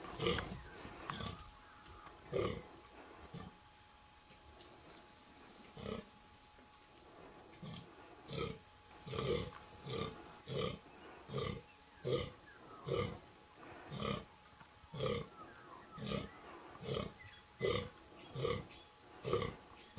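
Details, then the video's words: Fallow buck with little palmation and pointy antlers with good guard tines, calling during the 2014 rut; deep rhythmic belching groans repeated roughly once a second in a steady run, each a short broad grunt. "Fallow Deer Rut 2014"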